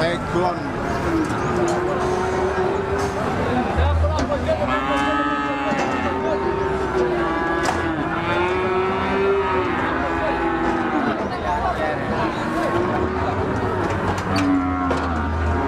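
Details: Cattle lowing among a noisy crowd, a run of drawn-out moos rising and falling in pitch and overlapping one another, with human voices and traffic rumble behind.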